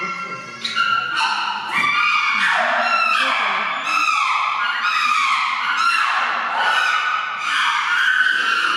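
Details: Several chimpanzees calling loudly while the father climbs with an orange in his mouth and a mother holds her one-day-old newborn; overlapping shrill, harmonic screams and wavering cries rise and fall continuously, with sharp bursts near the start.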